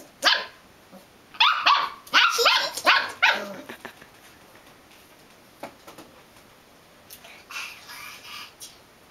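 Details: Belgian Malinois puppy barking in quick bursts, several sharp yaps clustered between one and four seconds, then softer, scattered barks later on, in a quiet indoor space.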